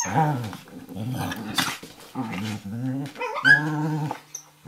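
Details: Two dogs play wrestling on a kitchen floor, an 11-week-old Eurohound puppy named Firenza and Brio, a 4.5-year-old Nova Scotia Duck Tolling Retriever, giving repeated low rumbling growls in bursts with a brief higher yelp near the end.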